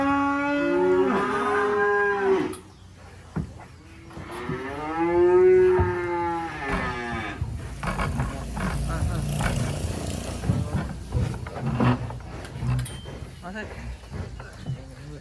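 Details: Two drawn-out moos about three seconds apart, each swelling and sagging in pitch, as black sacrificial cattle are unloaded from a truck from a rural pen in Indonesia. Then come clattering hooves, engine rumble and handling noise.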